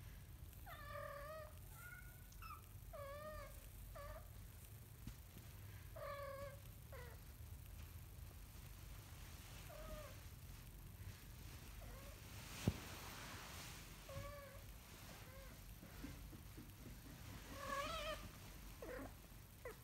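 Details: Repeated high-pitched mews from a kitten learning to walk, short harmonic cries coming every second or two, with a sharp knock midway and a steady low hum.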